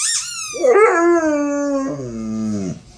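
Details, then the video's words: Pet dog Yawk reacting to his football's sound with one high squeaky cry that drops into a sustained, steady howl, then slides lower before fading out. "Dog hates his football sound"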